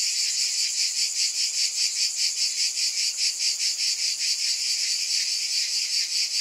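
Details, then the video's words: Loud insect buzzing from cicadas, a high rasping hum that beats in regular swells about every 0.4 seconds, constant from start to finish. "Scintillating Cicadas 1 hour White Noise"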